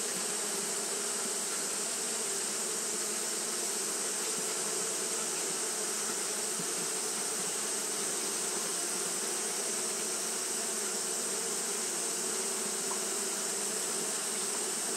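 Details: On a hot day, Japanese honey bees keep up their fanning behaviour, producing a long, unwavering buzz: a steady low hum layered under a broad hissing wash that never pauses.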